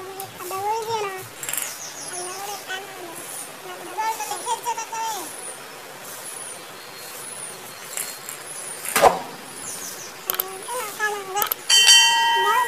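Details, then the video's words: Several kittens mewing in a compilation of funny cats, with high, arched, rising-then-falling cries repeating in overlapping bursts. Thin high chirps recur above them, and a sharp clatter sounds near the ninth second. "Funny Cats and Kittens Meowing Compilation"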